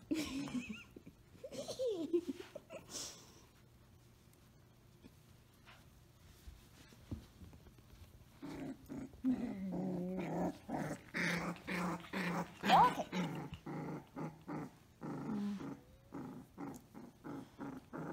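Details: Samoyed puppy named Orange Girl growling during play: a few scattered rough growls early, then after a quiet stretch a dense run of harsh, rapid growling pulses and yaps filling the second half.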